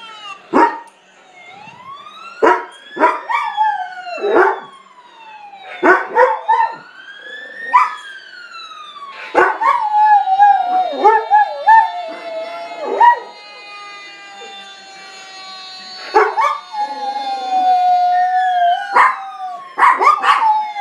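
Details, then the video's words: Pet dog howling in reaction to a passing fire truck siren; loud wailing siren sweeps up and down throughout while the dog answers with repeated sharp barks and drawn-out yowling cries between the siren's rises. "Dad's dog howling at fire truck siren"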